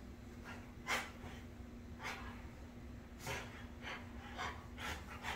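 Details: French Bulldogs Moose, black, and his red fawn sister Midge playing a nightly chase with zoomies before bedtime indoors during Halloween decorating; breathy snorts and pants come in bursts about once a second over a low steady hum.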